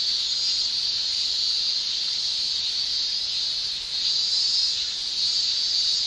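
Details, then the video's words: Summer in Japan with male cicadas buzzing through their tymbals; a loud, continuous high shrilling that dips briefly near the middle, then returns as strong as before. "Japan Summer Cicada Shrilling"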